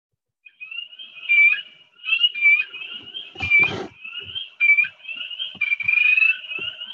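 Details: A spring peeper (Pseudacris crucifer) starts with high, clear rising peeps that run together into a musical trill, a trill some peepers give under some conditions and one that is easily confused with chorus frogs.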